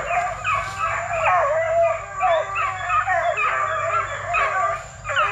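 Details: Young Plott Tan hounds (Plott hound x black and tan coonhound), 8 weeks to 5 months old, kennel-raised for tracking. Several pups howl together in a continuous, wavering chorus that rises and dips without a break.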